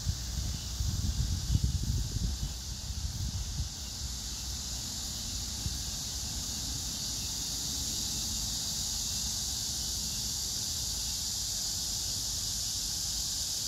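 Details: High continuous cicada buzz at Hwarang Park, Choji-dong, Danwon-gu, Gyeonggi-do, by the Gyeonggi Museum of Art, on August 9, 2024, pink crape myrtle in bloom. Rustling and low rumble at the start, then an unbroken shimmering hiss with grass insects.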